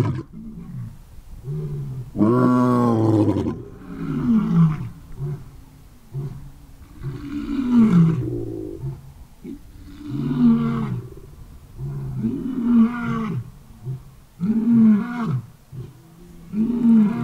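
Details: Male lion at a big cat sanctuary leading a roaring chorus, other lions answering: a loud opening roar followed by a series of deep grunting roars repeated about every two seconds.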